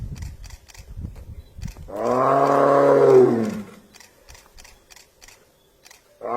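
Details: Tiger letting out a single drawn-out, rising-then-falling roar of about two seconds, rich in harmonics, amid scattered clicks, handling knocks and faint background noise; recorded without a microphone.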